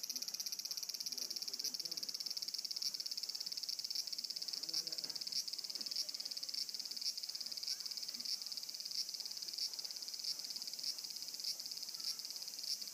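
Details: Cicada droning in a high-pitched buzz with faint regular ticks, while low murmuring and scattered softer sounds sit underneath.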